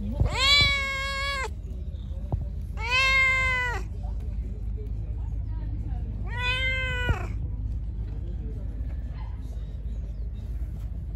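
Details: Angry, hungry pregnant stray cat being fed outdoors: three strong, evenly pitched meows roughly every three seconds, each about a second long, then quieter rumbling background with faint clicks.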